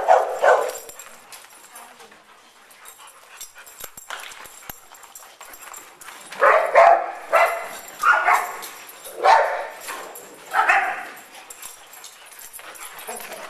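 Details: At an indoor dog park, Double Dog Day Care, big dogs playing around an agility tunnel give one early bark, then, after a lull with faint voices, a run of six loud barks about one second apart.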